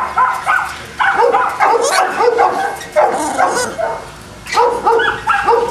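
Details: Boston Terrier dogs at a kennel near Cali, Colombia: clusters of shrill yips and barks in bursts, a quieter lull, then another burst of barking.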